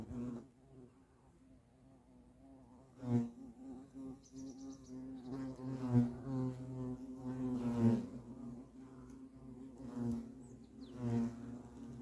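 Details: Low, steady humming of European hornets at the nest, swelling into louder buzzing passes at roughly three, six, eight and eleven seconds as insects fly close.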